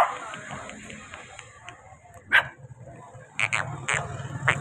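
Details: Puppy giving short high yips over a steady low rumble: a single sharp yip, then a cluster of three or four quick yelps near the end.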